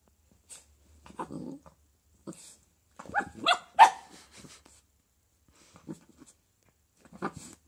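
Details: Eight-week-old Dalmatian puppy playing with a loud squeaky toy that scared her at first. Short rough growls rise into a sharp yelping bark midway, then scattered soft grunts and brief snuffles with quiet gaps.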